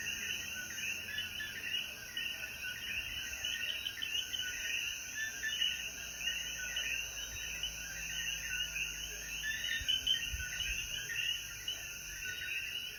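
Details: Mountain evening in Jayuya, Puerto Rico, after rainfall: coquí frogs keep up a thick, rippling chorus of repeated chirps, with faint low rumbles near the end.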